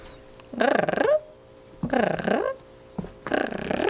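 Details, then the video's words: Charlie, a dog, gives three drawn-out, growly whining vocalisations, each about half a second long with wavering, bending pitch, separated by brief quiet pauses. "Repeating Charlie's sounds"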